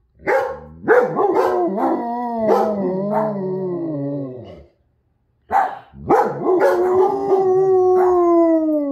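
A German Shepherd howls in long, wavering, rich-toned notes broken by sharp yelping onsets.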